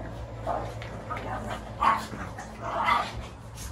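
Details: A Shih Tzu gives short, high, yappy barks, spaced about a second apart, while fighting in a rematch.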